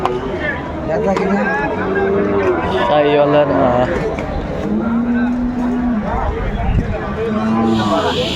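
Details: Sahiwal bull calves at a cattle market on 28 December 2024, bought by a Gazipur farmer: a low, drawn-out steady moo held for about a second near the middle, shorter lowing around it, under constant crowd chatter and voices.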